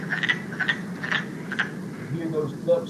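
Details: Wood frogs from West Virginia giving cracking, clucking calls like ducks talking in a pond, a few raspy notes early, then fading as a faint voice and low hum take over.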